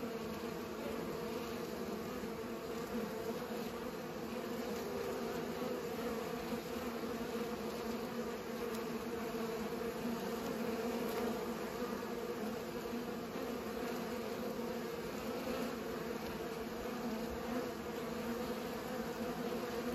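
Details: Bees pollinating: a steady, dense buzzing hum with strong tones near 250 and 500, unbroken and even in loudness throughout, like many wings droning together.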